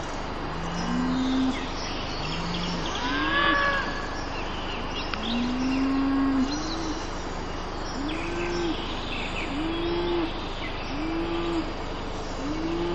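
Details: Cattle grazing in a pasture, recorded with a Mavic Air drone, give a string of short, arched lowing calls. They come roughly every second or two, with faint bird chirps above a constant droning hum.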